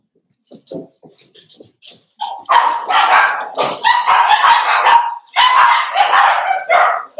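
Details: Cavalier King Charles Spaniel puppies in a home puppy pen at Red Barn Cavaliers, being socialized with several older household dogs on December 13, 2022; a few soft, short yips give way to a long run of loud, rough, overlapping barks.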